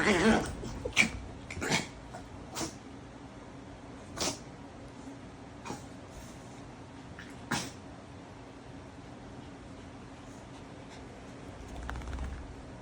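A Chihuahua gives short, sharp snorting huffs, like little sneezes, scattered irregularly during play.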